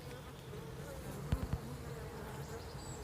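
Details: Bees inside their hive on day 30, a steady low droning hum with a faint band of tone just under the middle, and three sharp knocks close together near the middle of the clip.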